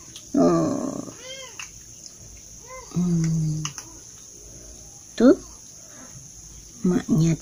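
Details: Kittens eating breakfast with their mother cat approaching, a few short rising and falling meows and mews scattered between pauses, with a woman talking in Indonesian in a small room.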